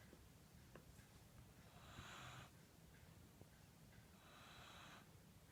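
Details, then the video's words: Sleeping Corgi snoring indoors while seeming to dream: two soft, airy, hissing breaths about two and a half seconds apart, each swelling and fading, over a low steady room hum. "Corgi’s Snoring"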